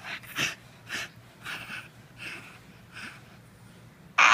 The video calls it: Bull terrier puppy making Tasmanian devil noise